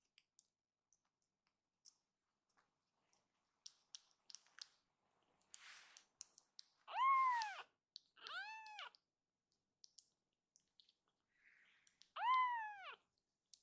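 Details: Foster kitten Akuro, a rescued baby cat, cries out suddenly indoors. Faint clicks and rustling lead into three loud, curved meows in quick succession, a pause, then one more strong meow.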